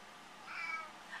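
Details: Egyptian Mau cat, male house pet, responding with a meow during a flash-card reading game with his owners; a soft, drawn-out, fairly quiet meow in a small room.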